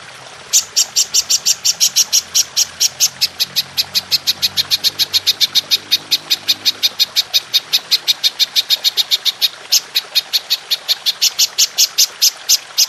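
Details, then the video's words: Golden grasshopper performing a long, sustained shooting call, used as training material for songbirds: a dense, unbroken train of bright, high-pitched rasping ticks, several per second, running the whole length with only brief irregularities. "Belalang Emas Nembak Panjang"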